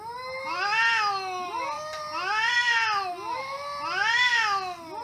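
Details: Cats communicating with each other trade long, arching meows that overlap. Three loud bouts swell and fade within five seconds, and the second voice answers just as the first tails off.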